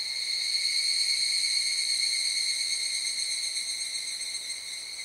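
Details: Evening cicada (Tanna japonensis) call, recorded at the Zao Echo Line, Miyagi, Japan: a steady, high, ringing trill that holds its pitch and slowly fades.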